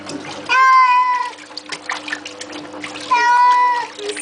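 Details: During a flea bath, Baxter the house cat lets out two long wailing meows about two and a half seconds apart, each flat then dropping at the end, with people speaking and water trickling between them.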